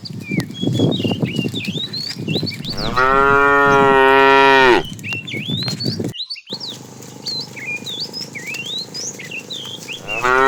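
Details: Morning herding of tame cows to grassy fields: a strong, long, even moo of nearly two seconds, then another moo starting at the very end, with birds chirping all around and a short silent break.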